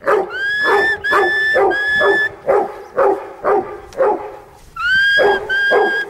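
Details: Huntaway barking in a regular rhythm of coarse woofs, several of them carrying a clear high whining tone drawn out over the bark.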